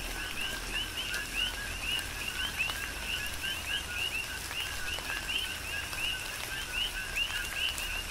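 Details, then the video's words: Chorus of coqui frogs on Hawaii's Big Island in tropical rain: dense, rhythmic two-note calls, each stepping up to a short upswept whistle, overlapping from several frogs, over constant soft rainfall and occasional drip clicks. "Tropical Rain & Coqui"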